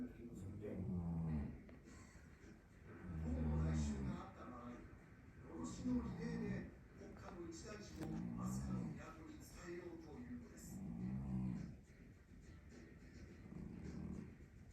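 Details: Snores from Namako, a Scottish Fold cat, described as human-like: low rumbling breath bursts recurring roughly every two and a half seconds, uneven in strength, in a quiet small room.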